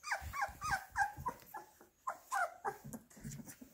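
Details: Indoor Labrador Retriever puppies waiting for minced beef give wavering, whiny yelps in short bursts, several per second with a brief pause, soft thumps and shuffling underneath.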